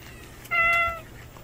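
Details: An unfamiliar male cat, newly turned up, gives one clear meow of about half a second. The call is steady, with a level tone and bright stacked overtones, and it ends over a quiet background hum.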